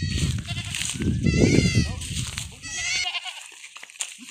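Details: Farm goat kids receiving iron injections give a couple of shaky, rising-and-falling bleats over low rumbling and handling noise, then the sound drops to quiet with a few small clicks.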